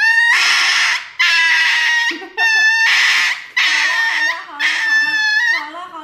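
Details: Dog receiving an injection gives five long, loud, high-pitched crying yelps, each lasting about a second, separated by short pauses, with faint voices underneath.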